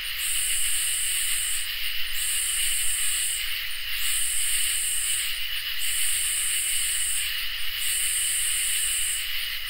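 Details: On a summer night, crickets keep up a smooth continuous trill while katydids add five hissing, high-pitched bursts at a regular pace of roughly one every two seconds.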